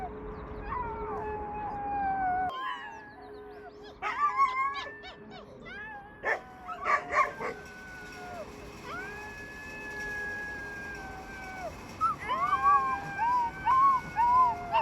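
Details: Rescued wolf pups howling together in a small group of wild animals; overlapping drawn-out tonal howls that slide and waver, several voices at once, broken by short yelps and sharp clicks, with gaps between bursts.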